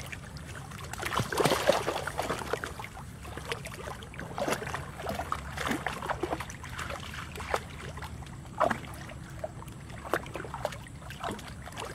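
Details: Splashing and trickling water with faint voices, no animal call audible.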